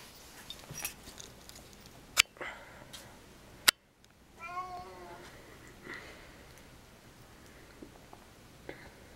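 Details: Domestic cat begging for attention indoors while its owner is in the bathroom; a single meow with stacked harmonics around the middle of the clip, framed by sharp knocks and clicks, with low room noise throughout.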